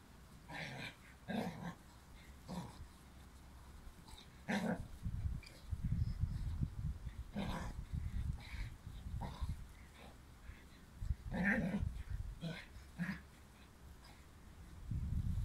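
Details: Dobermann puppy busy with a bone gives low growls and soft whimpering grunts in separate bursts, with quieter chewing and rustling in the gaps.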